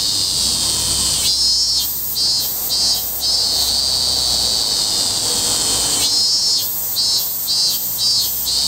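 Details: Loud, high-pitched robust cicada song. A sustained metallic drone alternates with two stretches of pulsing, each about four throbbing beats in quick succession, with a brief steady buzz between them.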